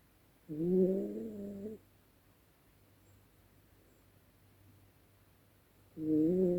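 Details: A sleeping Yorkshire Terrier, Dezi, snoring at night: one buzzy, layered snore lasting over a second, a long hush, then the next snore starting near the end.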